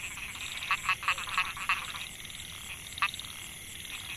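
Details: Male narrow-mouthed frog (Microhyla pulchra) calling for females in a Mae Hia rice field, Chiang Mai, Thailand, 2014. A quick run of five grating pulsed notes, a pause, then one more note, with a constant high-pitched insect hum.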